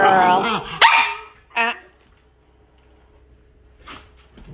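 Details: Young female Shetland Sheepdog named LaLa, growing up, playing with a ball indoors: a drawn-out harmonic yelp followed by sharp single barks spaced about a second apart, then quiet, with a person praising her and asking for the ball.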